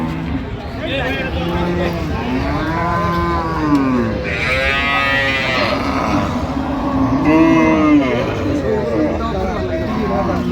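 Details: At Ambari Hat cattle market in Dinajpur, 16 January 2026, cattle give repeated arched, droning moos that swell and fade, one around the middle and another near the end, while buyers and sellers talk loudly nearby.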